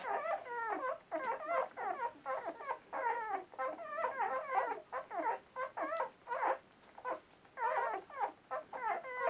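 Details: German Shorthaired Pointer pups at ten days old, Donau-Wirbeln M litter of a Romanian kennel, mewling indoors with a steady run of high, quavering whines and squeals, several voices crowding together with almost no silence.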